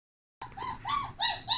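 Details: Puppies let out to explore after their whelping box blankets were changed; four high, arched whining squeals follow one another after a short silence, each rising then falling, with no other clear sounds.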